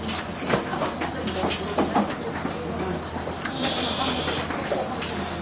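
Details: Bell crickets (Suzumushi) at the Bando no Oka disability support facility in Bando, Oasa-cho, Naruto, during peak shipping season. A steady, high ringing chorus runs throughout, over clattering and rustling packing noises.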